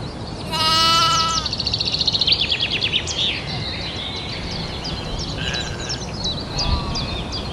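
A single wavering bleat from a sheep rises out of the background, full and nasal. Afterward, quick high chirps and twitters from small birds carry on over a low outdoor hum.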